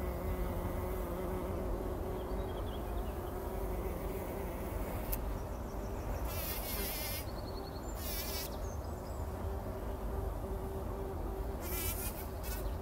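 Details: Bumblebees bathing in poppy pollen at dawn before sunrise, 2019: a continuous low, even drone runs through the whole recording, steady in pitch, with scattered sharp bird chirps and brief warbling bursts above a soft rumble.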